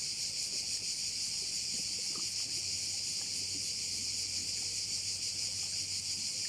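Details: Bay on Korčula filled with cricket sound, a continuous shrill, finely pulsed buzz at steady loudness, over a faint low steady hum and occasional soft knocks.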